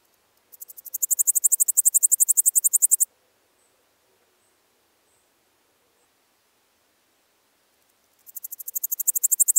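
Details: Littoral Dark Bush-cricket (Pholidoptera littoralis) at Seewiesen, Germany, 11 July 2023: a high, dry chirping series of rapid pulses swelling in loudness, about 2.5 seconds long, then silence before a second burst begins.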